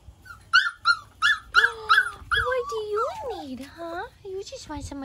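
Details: British Labrador Retriever puppies, four and five weeks old, call in a run of about six high, harmonic yips at an even pace, then a string of whining, sliding squeals that dip and rise, with soft low rumbling beneath.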